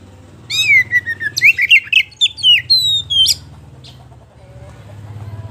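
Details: A kacer poci (Oriental magpie-robin) pours out lure song: a falling whistle, then rapid sharp rising notes and a long level high whistle, then a low steady hum after the song stops.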